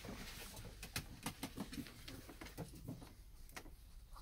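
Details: Pet ferrets playing in a newly arranged enclosure shed, among them Neeps, Corrie and the brothers Brodick and Corrie; soft rapid clucking pulses, low and uneven, run through the clip with scuffling patter and faint clicks indoors.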